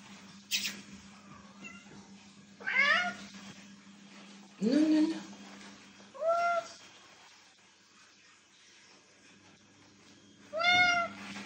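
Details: Indoor domestic cat meowing irregularly: a click, then several separate meows, some rising and some falling, spread across the clip with quiet gaps between them and a constant low hum underneath.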